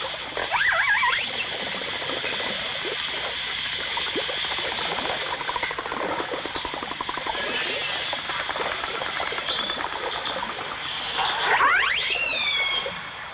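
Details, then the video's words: Dolphins, with orcas also present, in a 1989 stereo recording: a brief rising whistle opens, then a long dense stretch of rapid clicking pulse trains, ending with a cluster of sweeping upward whistles, all over constant hiss. "The Enchanting Sounds Of Dolphin Song (Dolphins & Orcas)"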